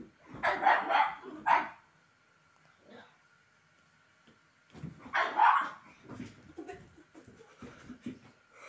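A pug gives a quick cluster of sharp, raspy barks, then another short burst a few seconds later.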